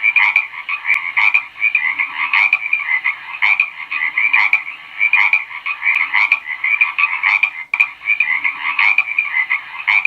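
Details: Frogs croak in a thick, buzzing chorus, rhythmic louder pulses rising above a constant trill, with faint clicks now and then.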